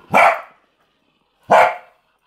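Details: Pet corgi puppy barking while playing with a hamster rolling in a ball; two sharp, clean single barks about one and a half seconds apart, quiet between them.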